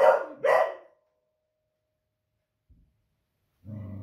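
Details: A female Beagle kept as a pet barks at booming fireworks on a Friday evening, alarmed by the unusual noise: two quick barks in succession, then silence, then a low rumbling growl starting at the end.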